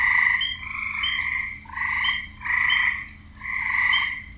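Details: Wetland frogs calling together: rasping, buzzy croaks in long rolling bursts, each lasting close to a second, swelling and fading in turn over a low steady hum.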